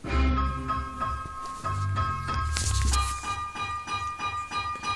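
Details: Piano-like music with steady notes and chords, and no animal sound.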